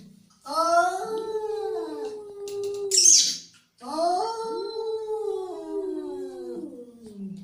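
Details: Angry cat letting out a long, quavering yowl, then a sharp hissing spit, then a second sustained, undulating wail that trails off lower.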